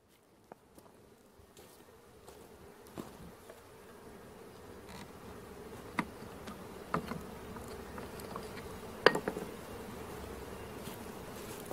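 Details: Honey bees in a swarm being caught: buzzing starts quietly and swells steadily louder over the clip, with occasional sharp clicks and knocks.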